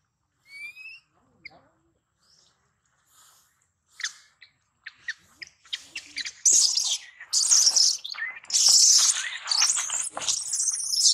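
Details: Baby monkey that lost its mother, crying loudly for her help; a few faint squeaks first, then a long stretch of harsh, high, near-continuous screeching that grows louder toward the end.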